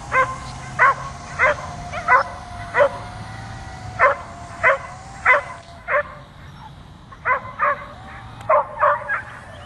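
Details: A dog barks continuously at a drone flying overhead, jumping up and trying to get it; sharp harmonic barks come in quick irregular bursts, about fifteen in ten seconds, over a steady low drone hum and faint laughter.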